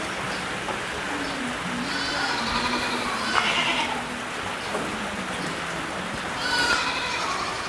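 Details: Among 3000 black goats on a Jeju experience farm, rain falling: several quavering, harmonic-rich bleats come from the herd, one near the start and a louder trembling one toward the end, over constant rain patter and faint voices.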